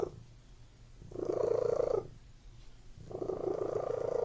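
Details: Cat purring inside a room, two loud rumbling phases about a second long with a softer, quieter stretch between them.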